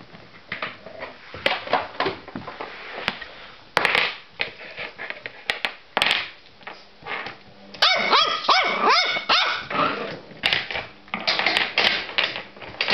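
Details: Pippy, a playful Border Terrier puppy, indoors: after several seconds of tapping and scuffling, a burst of high yapping barks and growly yips from about eight seconds, repeated in quick uneven runs, with a person's voice nearby.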